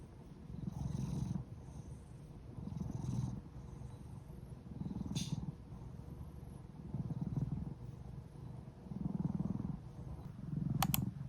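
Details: Domestic cat named Odeuri, recovering after tooth extraction surgery, purring indoors in soft low rumbling bursts that swell and fade about every two seconds, with a brief click near the end.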